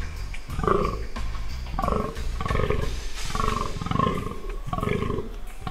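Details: Spotted fallow deer buck during the 2017 rut, giving deep, hoarse, belching groans in a steady series, each roughly a second apart, low and rough with faint upper overtones.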